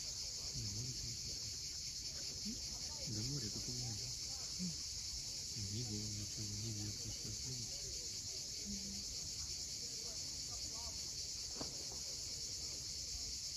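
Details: Cicadas calling at sunset above the sea at Cape Fiolent, Crimea, as an even, high-pitched buzzing wash. Short low harmonic sounds come in bursts beneath the drone.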